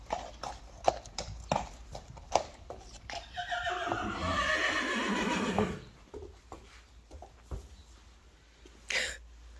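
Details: Friesian mare at insemination time in 2021 gives a long, loud, harsh whinny that slowly falls in pitch over about two and a half seconds, framed by scattered hoof clops before and after.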